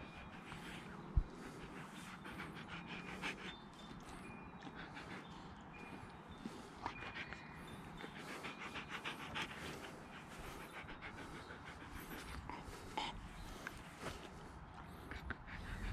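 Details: Slush, a pet Siberian Husky, panting fast and steadily in breathy rhythmic bursts that run through the whole stretch, with a few sharp clicks and light background noise.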